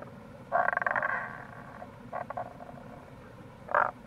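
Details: Near a gorge in Itoshima, Fukuoka, Japan, an April Tago's brown frog delivers a loud rapid pulsed croaking rattle lasting under a second, then a shorter rattle and a single abrupt croak, amid steady stream noise.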